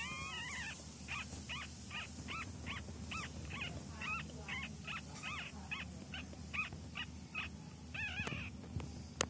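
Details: Young domestic cat being trained, mewing in a quick repeated series, roughly two short arched cries each second, with a low constant hum and a sharp click near the end.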